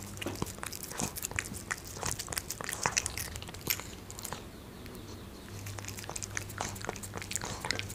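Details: Munchkin kitten eating dried fish indoors in a small room: sharp, irregular crunches and bites come in quick bursts, with a short quieter pause midway, over a low steady hum.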